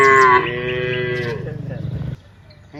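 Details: One of dozens of cows walking from the rice fields to the village lets out a single loud, bellowing moo that starts high and slides lower, fading into a rough, pulsing tail after two seconds.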